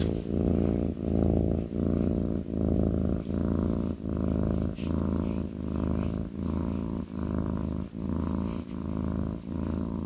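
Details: A kitten sits on its owner's lap and purrs steadily. The deep buzzing rumble rises and falls with its breathing, about 78 breath cycles a minute, in a quiet room.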